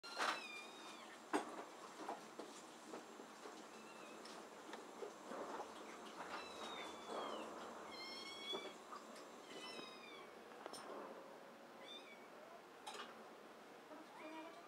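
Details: Rescued Abyssinian mix kitten in the care of Tokyo Cat Guardian, a shelter cat café in Otsuka, Tokyo. High, thin mews with bending overtones come in short bursts, some paired, over a faint room hum, soft knocks and low voices.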